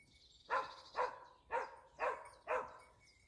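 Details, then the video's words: Dachsbracke barking during hunting dog training on wild boar: five loud, evenly spaced barks about half a second apart, each a broad burst with a faint background hum and distant bird notes. "addestramento cani su cinghiale con la dachsbracke"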